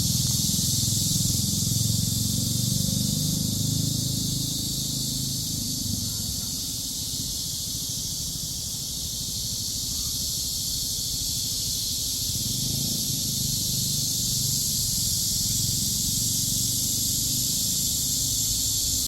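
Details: Steady shrill cicada buzz heard on a walk in nature, a continuous high hiss-like drone that eases slightly in the middle before swelling again, with low rumbling noise underneath.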